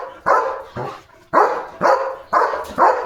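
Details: German Shepherd jumping near the gate and barking non-stop: six loud, rough barks, about two per second, with little else heard.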